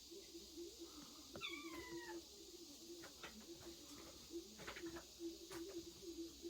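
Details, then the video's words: Kittens hidden in a woodpile, recorded 8.16: one thin, high meow that falls in pitch, with a few faint clicks over a steady low hum. "장작더미 속 아기고양이들"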